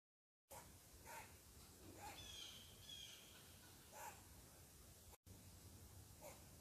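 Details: Angry squirrel barking at a person sitting in its tree: short, sharp, raspy barks at irregular intervals, about four in six seconds, with faint high bird whistles behind and a brief dropout near the end.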